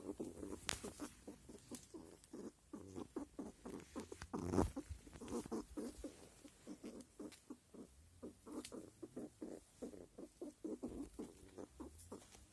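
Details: Squirrel; grunting; male calling during the mating season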